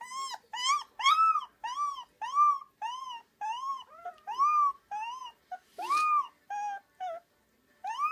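A Rottweiler puppy howls in a series of short, arching, tremulous yelps.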